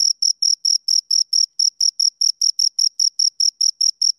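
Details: Chirping from two crickets, bright high-pitched pulses repeating about five times a second with slightly uneven spacing and no other sounds present.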